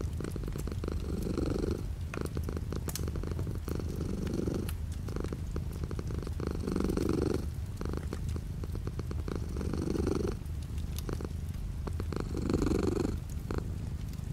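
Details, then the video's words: Domestic cat purring steadily indoors while light rain falls outside the window; low rumbling purr in rhythmic waves of inhale and exhale roughly every two to three seconds, over a constant soft hiss of rain. "The sound of a cat purring with light rain outside the window"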